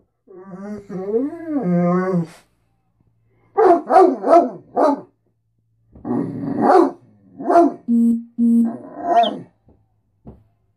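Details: Great Dane talking for breakfast and attention in the morning: a wavering moan, then a quick series of short yips, then mixed grumbles and yowls with a brief steady whine.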